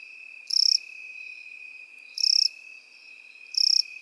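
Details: Crickets and grasshoppers in a grassy field. Three shrill trilled chirps, each about a quarter second long and spaced roughly one and a half seconds apart, sound against a constant thin background drone.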